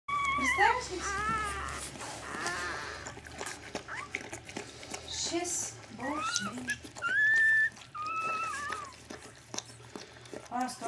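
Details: Newborn Siberian Husky puppy giving thin, high, wavering whines and squeaks, some rising then falling, in short bursts, while people talk nearby in Romanian.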